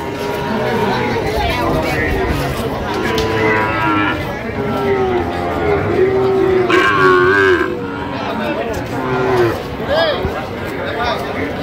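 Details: Sahiwal bull calf about seven months old at a Barisal cattle market, giving several long, low, droning moos one after another, some wavering in pitch, over steady crowd talk and haggling voices.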